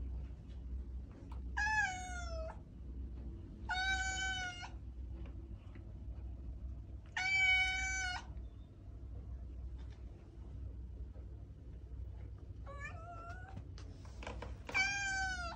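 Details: Repeated meowing from a domestic cat, a sound for calling a cat: five clear, rich meows separated by pauses of one to several seconds, with a constant low background hum.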